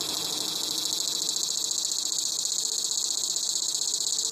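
A dogday cicada gives a steady, high, shrill buzz that holds on without a break.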